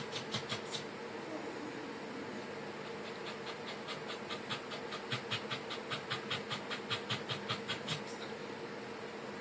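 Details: Pembroke Welsh Corgi puppies panting: quick breathy huffs at about two and a half per second, steadiest and most regular in the second half, with a faint constant low hum underneath.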